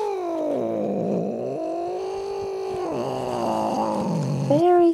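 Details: A pet cat called Jinxie yowls while being dragged out from under a chair. The long wavering wail dips and swells in pitch several times, and a sudden louder, higher cry comes at the end.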